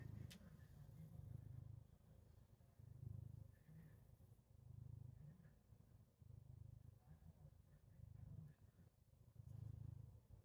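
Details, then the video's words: Domestic cat purring as a so-called alarm clock for its owner: a low, steady rumbling purr that swells and fades in soft pulses about every one and a half seconds, quiet throughout, with a brief faint click near the start. "CAT ALARM CLOCK!"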